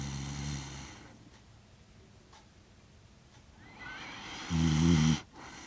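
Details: Kaki-Maru, a six-year-one-month-old Shiba Inu, snores while asleep in Rotterdam, Netherlands, on 30 September 2025, recorded with a DJI Mic Mini: a deep, throaty snore opens, then quiet breathing, then a louder rasping snore near the end.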